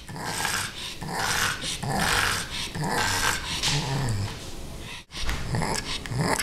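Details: Rudy the she-pug growls and snorts in play at Ms. Creamy the kitten; dense rasping bursts run almost continuously indoors, broken by one sharp dropout near the end.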